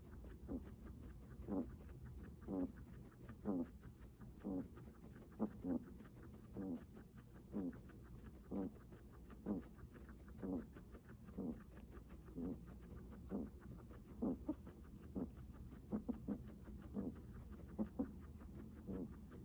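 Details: Guinea pig breathing heavily: short, low, raspy puffs repeated about once a second, steady and even throughout, with a faint hum in the background.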